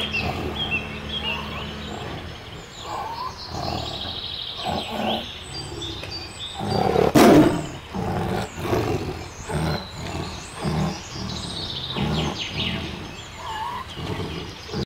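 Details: White tiger growling in rough pulses throughout, with one loud roar near the middle. High bird chirps and whistles are scattered behind it.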